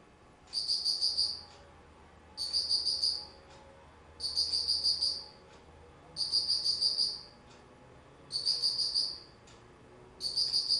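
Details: Autumn insect call from 19 September 2009: six steady, high, ringing pulse-trains, each about a second of fast metallic chirps, recurring every two seconds, with a faint low hum underneath.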